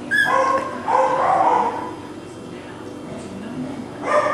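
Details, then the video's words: Four male Cockapoo puppy brothers, Kujo, Louie, Oliver and Bo, filmed on 18 April 2014; a high, sharp yelp flows into a longer wavering whine, then a pause and a final brief squeal, with quiet room noise throughout. "Male Cockapoo Puppies"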